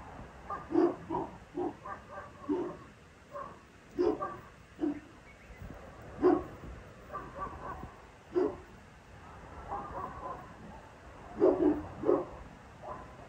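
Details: A 22-month-old male Boerboel dog out enjoying yard time gives a series of short, deep barks, spaced irregularly about every half second to second, with low background rumble throughout.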